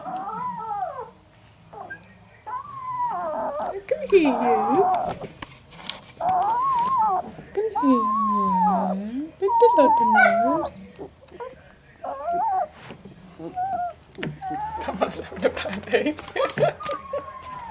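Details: Three male Northern Inuit puppies, 11 days old, indoors, give repeated curving whimpers and squeals, rising then falling, in quick succession, with a woman speaking softly to them in between.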